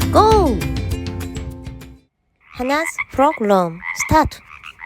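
Toads give short, chirping release calls, each a bright tonal note that bends in pitch.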